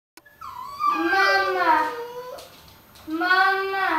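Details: Pet dog "talking" indoors, giving long, wavering, whine-like howls with a rich harmonic tone. Two drawn-out vocal phrases bend up and down, separated by a short quiet gap.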